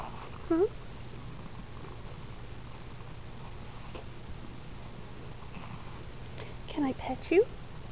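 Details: Female pet cat indoors while being brushed and petted by her owner; short rising chirpy meows near the start and a quick pair toward the end, between a woman's soft speech, over a low steady hum.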